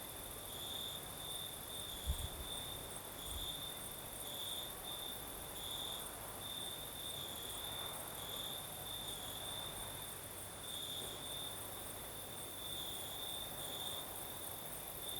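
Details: Crickets chirping through a southern Crimean night with a gentle breeze; a bright high trill pulsing steadily throughout, with a couple of brief low knocks early on.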